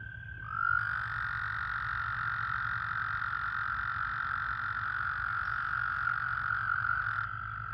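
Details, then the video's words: Breeding-season American toad in a puddle pool where toads are calling and pairing in amplexus: one unbroken, even, high-pitched musical trill lasting about six and a half seconds over a low rumbling background. "American toad breeding pool. ASMR. White noise. Calling"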